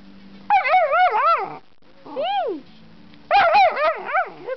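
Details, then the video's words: Twelve-week-old male Airedale Terrier puppy singing one morning: wavering, warbling howls with rising and falling pitch in three bursts, the middle one shorter and sliding down, with a faint steady hum underneath. "Singing Airedale"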